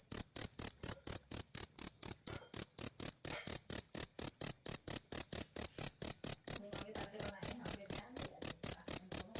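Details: Indonesian cricket (jangkrik) chirping, its ngerik sound: a loud, clear, high pulsed trill repeated about twice per second in steady rhythm, with faint low background sounds near the end.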